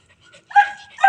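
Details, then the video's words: Pet cats at home being called to eat: after near silence, two short nasal meows about half a second apart, the second slightly louder. "MEOW MEOW, MGA ALAGA KO NA PUSA"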